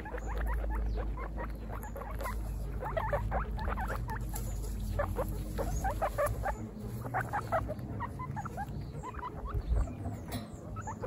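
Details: On their first picnic, baby guinea pigs keep up a long stream of sharp, brief squeaks, many overlapping, in uneven bursts over a deep steady hum.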